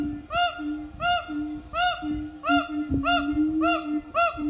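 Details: Siamang family's morning song at an eco-tourism farm: steady low drone-like booms with arched bark notes repeated about every two-thirds of a second.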